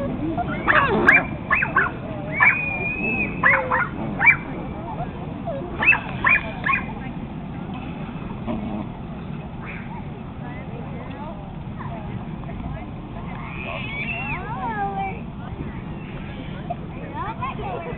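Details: Male Pekingese showing displeasure toward a newly arrived brother dog: sharp barks and yaps bunched in the first seconds, then long drawn, wavering whines and whimpers, with human speech underneath.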